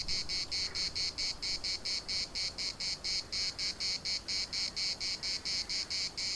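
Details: Cicadas calling in a park in Larnaca, delivering regular loud buzzing pulses about twice per second, a harsh pulsing drone with soft background noise.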